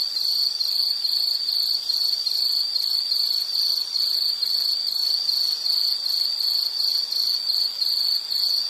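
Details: Insect chirping for calm background listening, a bright, high trill broken into regular rapid pulses about three per second, steady across the whole stretch.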